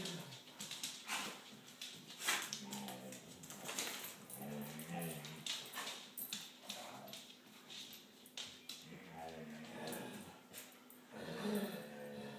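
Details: Five salukis, Hunter, Tali, Holley, Reta and Zoomi, howling together in a group song that Hunter starts and Tali leads; wavering, whiny howls and whimpers rise in short tonal bursts over a noisy, rustling background.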